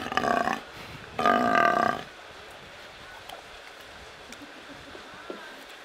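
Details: Captive brown fur seal at Belgrade zoo, Serbia, recorded in May 2022 with a Panasonic AG-CX350 camera: two loud, harsh, harmonic calls, a short one then a longer one of about a second, followed by quiet background.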